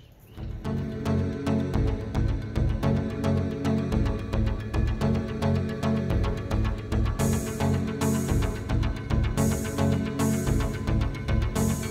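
Dramatic background music with a heavy, rhythmic beat plays throughout, with no animal sounds.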